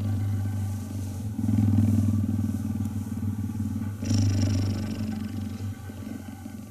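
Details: Deep purring of a cheetah in a cuddle, two louder surges of vibrating rumble separated by quieter breath phases, fading slightly toward the end.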